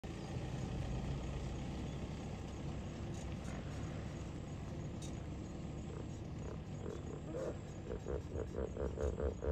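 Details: In a lake at Kruger National Park, a common hippopotamus (Hippopotamus amphibius) gives deep, rumbling grunts that build into a rapid series of honking pulses.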